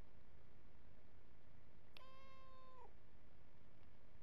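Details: Domestic cat drinking from a hose reel gives one clear, drawn-out, level meow of nearly a second with rich harmonics, set against constant background hiss.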